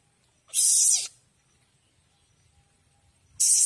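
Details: A young Asian palm civet that came into a home gives two harsh, airy hisses, each about half a second long, separated by a near-silent pause of almost three seconds with only a faint low room hum.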